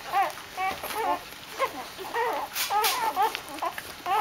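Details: Dobermann puppies welcome their mother Jessica back from a walk with steady, wavering squeals and whimpers repeated every half second or so, several voices overlapping in an excited, continuous chorus.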